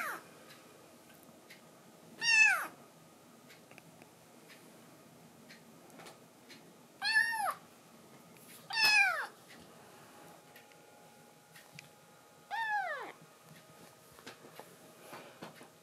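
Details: Indoors, the foster kitten Momiji makes cute threats to push another kitten, Kuromame, off the man's lap she favours: four separate high meows that drop in pitch, spaced unevenly over the quiet stretch.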